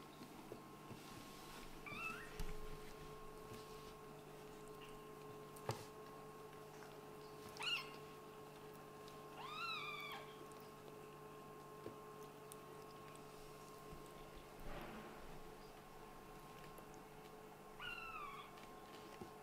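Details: Kittens of a Scottish Fold and British Shorthair family playing indoors; scattered short meows, a few bending downward, among bumps and rustles with a steady background hum.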